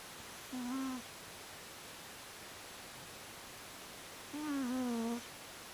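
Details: Gucci the cat snoring while asleep: two soft, tonal, whistling breaths with a steady low pitch, one short and one longer and slightly falling, separated by a few seconds of quiet hiss.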